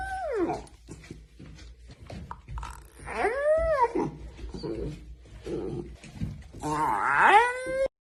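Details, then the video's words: Indoor puppy yawns repeatedly, making whiny vocal yawns with falling and arching pitch, the last one longer and louder, with light scuffling noises in between. "Funny cute puppy yawning video"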